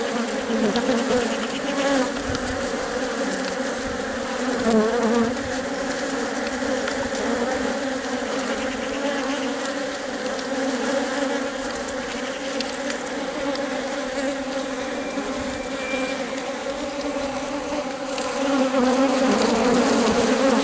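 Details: Worker honey bees guarding and feeding their queen while she lays eggs in the hive; a long, unbroken, layered humming drone holding two steady tones, swelling slightly louder near the end.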